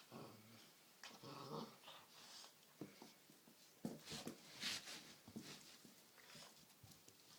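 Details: Great Dane puppy Fiddler, 7.5 weeks old, plays and wrestles indoors with his six-month-old cousin Sandy, who is leashed. Low rough growling rumbles come in the first seconds, then scuffling, snorts and sharp bursts of movement noise.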